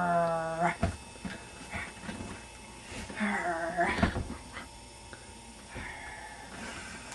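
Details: Puppy Indy playing at home, worked up by someone blowing on his face: a drawn-out, tonal, nasal whine opens, then shorter whining growls around the middle, with people talking and laughing throughout.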